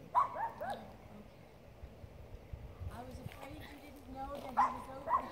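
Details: A poodle gives sharp, yelping barks in short bursts at elk, with people talking quietly in between; Poodle.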